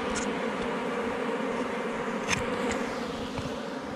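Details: Forest honey bees at a rock-sheltered hive being collected for honey, a thick steady buzzing drone with a few sharp clicks or taps near the middle and end of the recording.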